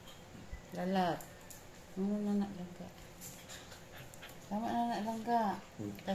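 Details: Chihuahua puppy play-fighting with a Japanese dog indoors; harmonic whiny growls and whimpers in three bursts, near one second, two to two and a half seconds, and four and a half to five and a half seconds, with a woman's voice.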